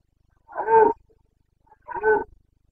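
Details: Rutting Carpathian stag in Bucovina, Romania, in the breeding season of late September 2022. Two strong, hoarse, moaning roars, each under half a second long, are separated by a second of silence.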